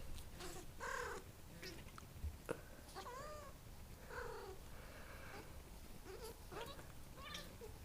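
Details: A domestic cat, called weird by its owner for its strange noises, utters short quiet meows with curving up-and-down pitch, a few calls in quick succession, against low room noise and faint knocks.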